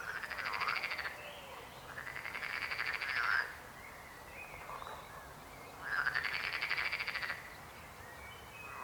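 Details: Frog croaking in separate bursts: three long pulsed, rattling calls with arching harmonic tones, divided by short quieter pauses holding softer distant croaks.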